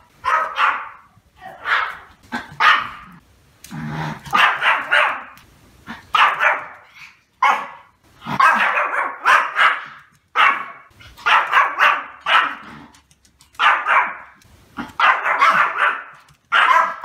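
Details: Sustained barking by a male Pomeranian: repeated bursts of high, harsh yaps in groups of two to four, with brief pauses between bursts over a long stretch.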